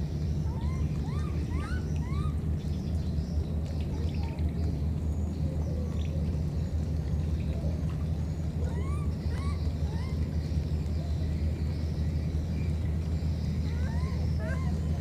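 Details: Two baby monkeys, wild, separated by a flood, calling to each other: short high arched squeaky calls with upward-curving harmonics, in scattered bursts, over a constant heavy low rumble of water or wind.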